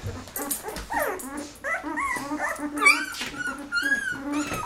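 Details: Golden Retriever puppies aged 13 days, Penny's litter of eleven with eyes newly opening, cry in wavering rising and falling squeals and drawn whines, mixed with some background voice.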